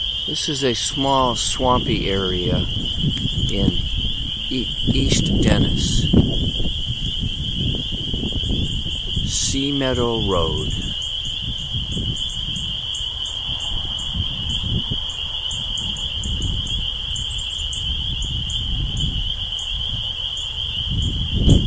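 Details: Spring peepers, tree frogs emerging from a swamp in early spring at East Dennis, Cape Cod, Massachusetts, April 12, 2015: a dense, unbroken high-pitched peeping chorus runs throughout, with people talking intermittently in the first ten seconds and faint rumbling below.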